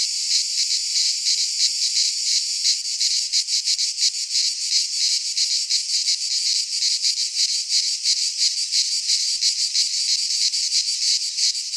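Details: Greek pine-forest cicadas in midsummer make an intense sizzling buzz with fast rhythmic throbbing, a little smoother early on and more sharply pulsed later, with no other sounds.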